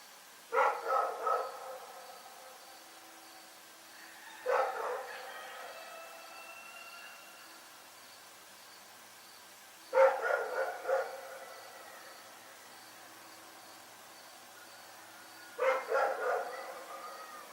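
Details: Nighttime barking from Rex the dog: four bouts of two to four rough barks spaced several seconds apart, with faint thin tonal sounds trailing some bouts.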